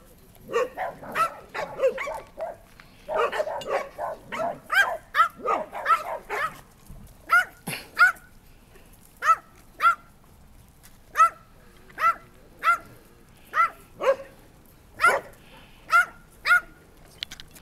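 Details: A dog barks in quick, dense bursts for the first six seconds, then settles into single sharp, ringing barks repeated roughly every second and a half, with quiet background between them.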